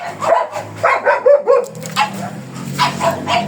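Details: Black German Shepherd Dog brought for stud service at Manaoag, Pangasinan, giving a quick run of short, sharp yelping barks and whines, some with a tonal squeal, while people talk quietly in the background.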